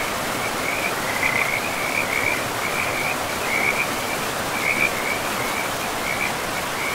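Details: A forest river with frogs: quick, high, rattling trills come in bunches of a second or two, separated by brief gaps, all laid over continuous rushing water.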